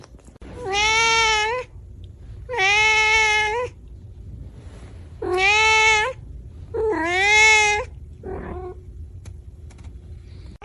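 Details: Angry pet cat indoors calling four loud, drawn-out meows roughly every two seconds, each strongly harmonic and slightly rising then bending down, followed by a faint short fifth call.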